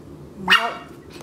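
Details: Maltese puppy barking while chewing on a rug indoors in Illinois: a single sharp, high yappy bark with a brief growly onset, followed by quiet room sound.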